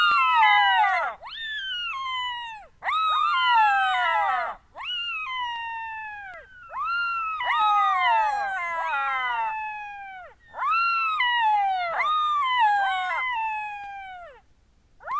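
Jackals wail in overlapping, high, falling howls mixed with quick yips, in bursts every few seconds.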